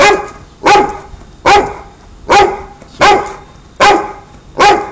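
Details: American Pit Bull Terrier, said to hate smoking, barking after being offered a cigarette: seven loud, sharp, evenly spaced barks, about one every 0.8 seconds, with a man's voice coaxing just before.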